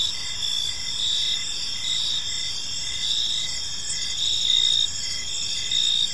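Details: Crickets chirping in a park on an evening, a dense layered chorus of high, steady trills with pulsed bursts recurring roughly once a second over a faint low background hiss.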